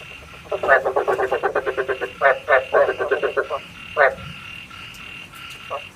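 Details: Night-trapping lure sound of frogs: a rapid rattling series of about a dozen croaks, then a few louder separate croaks, fading to quiet background by the end.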